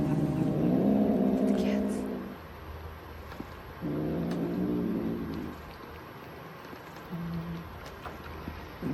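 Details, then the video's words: Domestic cats at Neko Cafe Ibunya, having Churu treats for the first time, give low, steady growls in drawn-out bursts of about two seconds with short gaps between, separated by quieter stretches and ending in a brief final growl. "Like a low growl. Do you hear it? The cats. They're mad kitties."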